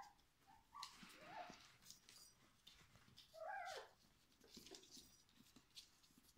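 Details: Four-week-old Schapendoes puppies from the litter of Xelly and Foppe, with a few short, high, arching whimpers and squeaks spaced through the clip over a faint, hissy background.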